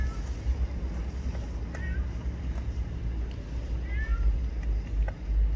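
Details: Hungry homeless spotted yard cat, no longer young, being fed outdoors; gives brief high mewing cries near two and four seconds over a steady low traffic rumble, with a person talking nearby.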